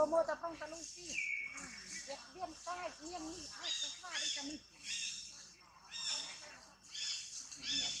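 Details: Young monkey Tobais throws a crying tantrum as mother Toma treats it roughly, giving a run of short, arched whimpering wails repeated several times a second, over a hissy background with a brief high bird whistle.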